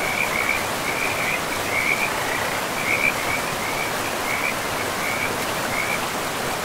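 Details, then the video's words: Frogs calling beside a river in a pristine, moss-covered forest: short, high, pulsed trilling bursts recur every second or so against a steady hiss of rushing water. "River and Frogs sleep sounds"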